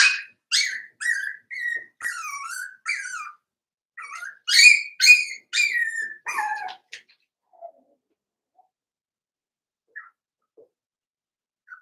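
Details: A litter of five-week-old Cavalier King Charles Spaniel puppies in Daisy's puppy pen, giving rapid, high-pitched yelps and whines, roughly two per second, for about seven seconds before going quiet apart from a few faint squeaks.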